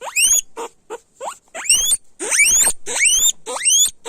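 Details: Loud squealing of guinea pigs: bursts of harsh, rising whistles, some long and climbing high, others short and clipped, coming in quick irregular succession.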